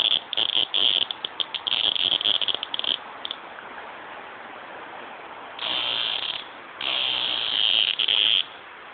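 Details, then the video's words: Cicada giving stuttering bursts of shrill buzzing for about three seconds, then falling quiet before two longer sustained buzzes, with a soft hiss in the background. "Dogs and a Cicada BUG"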